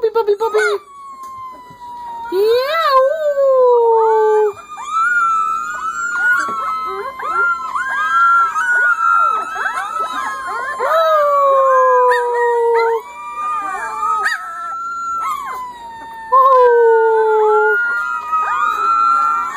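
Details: Chorus of three-week-old Corgi puppies howling together, several overlapping thin, wavering howls that rise, bend and fall, some sliding down in long drawn tones, continuous for the whole stretch with voices dropping in and out.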